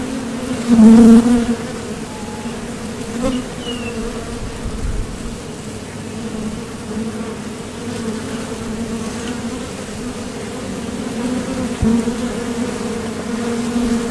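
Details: Honeybees at the entrance of a Top Bar Hive, leaving and landing while foraging for nectar; a steady low droning buzz with strong harmonic bands, one loud close pass near the start, faint wingbeat swells throughout.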